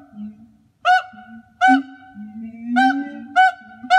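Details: A zoo pair of siamangs gives loud, ringing barks in short bursts over a low, steady hum; the calls are social behaviour for pair-bonding and territory, amplified by throat sacs and audible up to 2 miles.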